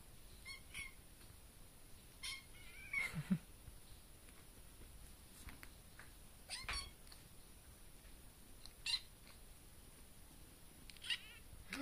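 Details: Baby kitten meowing in a bedroom, seemingly at a bug inside the room; a series of thin, high, wavering meows, some short and some drawn out, separated by quiet gaps, with faint household noise underneath.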